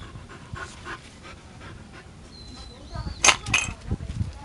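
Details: Norwegian Elkhound named Elk, born 31 May 2004, in Japan, playing with a blue toy egg; quick breathy panting bursts in an uneven rhythm, a thin high squeaky whistle, then a few louder sharp bursts near the end.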